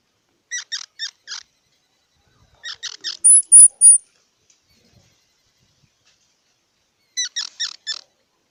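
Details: Squirrel sounds: three bursts of rapid squeaky chirps, about four notes each, spaced by long silences, with a pair of loud high thin whistles between the first two bursts.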